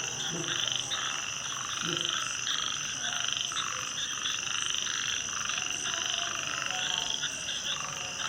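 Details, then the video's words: A night frog chorus: many overlapping croaks repeat in quick pulsing bursts, roughly one to two per second. A constant high ringing drone sits over them, with a few deeper croaks close by. "Night 🌃 😱 Sound Of Frog 🐸"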